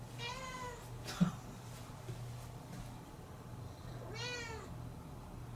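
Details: Siamese kitten lingering at the doorway while its owner is out of the room; two soft, thin meows about four seconds apart, separated by a sharp knock and low household hum.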